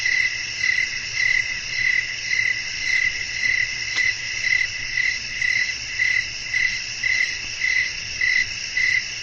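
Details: Relaxing night-time ambience of wind and chirping crickets: crisp, high chirps repeated evenly near twice each second over a steady high insect buzz, with one brief sharp click midway.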